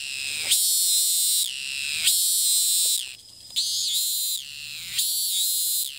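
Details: Cicada in Thailand that flies repeatedly to new perches and resumes calling as soon as it lands: loud, harsh, high buzzing bursts about a second long, each ending in a falling tail, repeated roughly every one and a half seconds, with one brief break.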